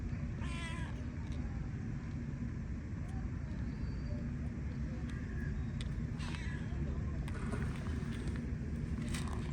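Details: Stray cat on an Istanbul street in Turkey, asking for affection, gives two short, bright, wavering meows about five seconds apart over a constant low rumble of city traffic.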